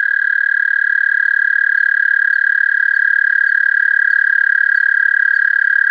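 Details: American toad singing, captured with an amplified mono parabolic microphone connected directly to a DSLR camera. One long, steady musical trill, unbroken and even in pitch and loudness for the whole six seconds, with faint higher overtones; no other sounds.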